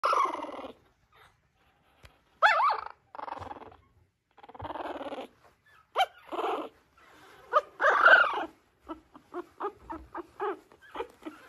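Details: Mixed-breed dog making a run of nasal whines and grumbling moans, some drawn out and wavering, ending in a quick string of short, clipped whimpers. The pauses between them are nearly silent.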